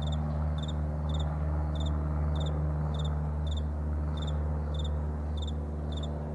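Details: Morning crickets on a wide meadow, pulsed high chirps repeating roughly three times per second, with a constant low droning hum underneath.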